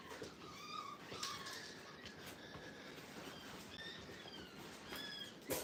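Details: Five-week-old Brittany puppies on their first time in a playpen at a training kennel: several short, thin whines and whimpers with a slight rise and fall, some overlapping, with soft rustling and faint clicks between them.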